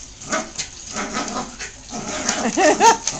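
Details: Domestic dog playing indoors with a talking ball toy while other dogs look on; a few short, tonal yips and barks with bending pitch come near the end, after softer scuffling and clatter.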